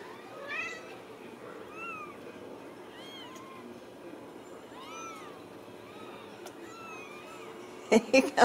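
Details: Several Ragdoll kittens, born and socialized in a central Kansas home cattery, mew repeatedly in short arched squeaks, about seven calls over eight seconds, ending with a burst of loud thumps and handling noise.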